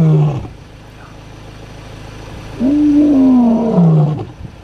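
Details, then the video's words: A lion walking in the Kgalagadi Reserve gives a deep, moaning roar that swells, then slides slowly downward. It was probably roaring to locate its brother nearby. "Lion roaring in the Kgalagadi Reserve"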